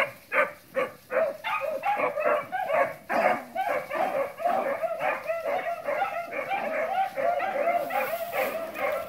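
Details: Beagles trailing cottontails and bluetails, hounds giving quick chopped yelps about two per second, soon merging into a blurred, overlapping pack chorus that carries on without break.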